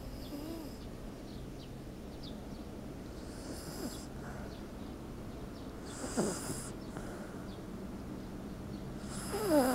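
A sleeping Shiba Inu snores softly, with faint breathy snorts at irregular intervals.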